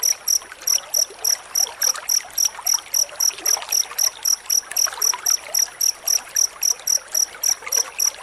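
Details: Cricket giving rapid, closely spaced chirps, recorded as song-training material for murai batu; each sharp high note is clipped and evenly timed, about three to four per second, against a low trickling background.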